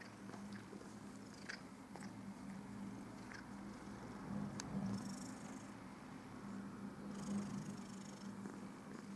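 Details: Cat grooming itself, purring continuously in a low, even rumble; soft clicks and brief rustles from licking and movement punctuate the purr, which swells slightly midway and near the end.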